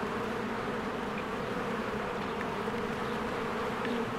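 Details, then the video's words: Spring beehive with many honeybees working and flying around the hive. Constant, even droning buzz without pause, with a couple of brief faint high chirps. "1 Hour of a Beehive ASMR"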